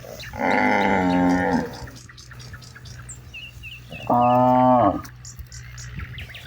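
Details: Herded cattle roaming broad rice fields at dusk, one calling herd-mates to return home; a long sustained moo of over a second, then a shorter second moo, with faint bird chirps between and a constant low drone.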